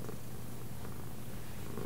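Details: Indoor pet cat purring during a session of left and right commands; a constant low rumbling purr lasts the full clip, steady in loudness without pauses.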